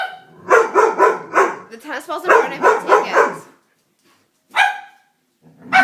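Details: Scared Doberman reacting to a prank, barking in a rapid run of about six deep, rough barks, then a pause before two more isolated barks.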